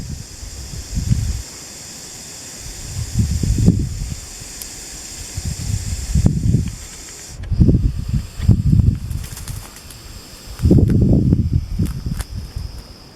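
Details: Blunt-nosed viper (Macrovipera lebetina) in Cyprus hissing: breathy, low noisy bursts about a second long, given at uneven intervals with quieter gaps between them.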